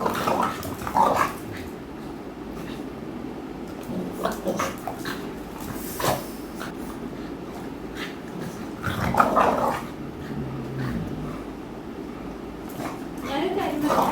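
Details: Two pet American Bullies, the female Aami and Mikku, wrestle in play, with Mikku nipping at her. Low rumbling growls and snarls come in bursts near one, six and nine seconds, mixed with scuffling and a person talking softly.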